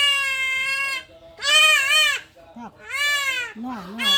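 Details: A young goat bleats while being castrated. Three harsh, drawn-out cries, each about a second long, alternate with a man speaking softly to calm it.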